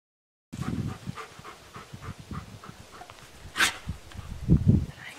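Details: Dog giving rapid, low, breathy huffs like panting, followed by two louder, deeper muffled woofs close together near the end, with a single sharp click-like noise just before them.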